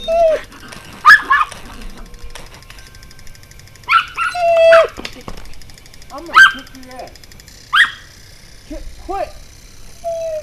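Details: Pomeranian jumping and barking indoors, recorded 6 April 2012 at 6:37 PM: sharp high yapping barks in short bursts about every one to two seconds, mixed with whiny whimpers and squeals between them.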